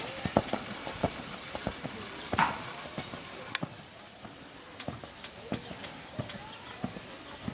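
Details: Purebred Lusitano stallion, nine years old, 1.72 m tall, at a stud farm. Sharp hoof clicks fall at a brisk, fairly even pace of roughly one every half second, with a few louder knocks against a quiet background.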